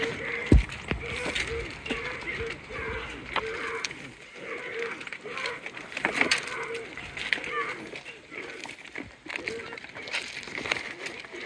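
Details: Many deer at Lagoon Deer Park in Ohio bleating while being fed: short nasal mid-pitched bleats repeated roughly every second, with overlapping high-pitched calls and people talking nearby.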